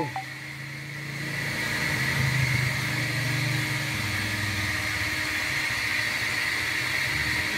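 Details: A steady engine and vehicle hum fills the recording, with a faint high whine and no animal calls.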